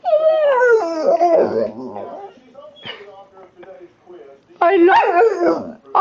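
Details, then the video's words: Pet American Pit Bull Terrier indoors 'talking': a long, drawn-out whining howl with rich harmonics that bends up and down for about two seconds, a quieter stretch, then another loud wavering burst. "weird noises my dog makes"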